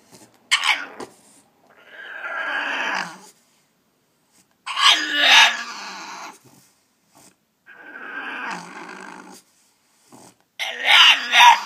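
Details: Cheese, a French Bulldog, grumbles and yowls in harsh, breathy bursts that sound almost like talking, asking to be let out of its cage.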